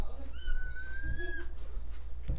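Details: Kitten being fed milk indoors at a house, giving one drawn-out, steady, slightly wavering meow lasting about a second, with people talking quietly nearby and a low room hum.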